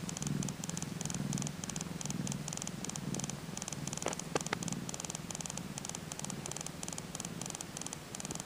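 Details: Purring of a Tonkinese kitten only two days old, heard as a quiet ticking. A low throbbing rumble swells and fades in regular pulses roughly once a second, with a few faint clicks midway.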